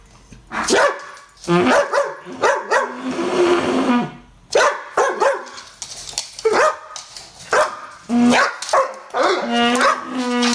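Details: Koja, an English Bull Terrier cross Staffy, reacting to a new garden hose at home: short, sharp barks in quick bursts, mixed with higher whiny yelps and a drawn-out growling whine, with a hissing burst of hose spray early on.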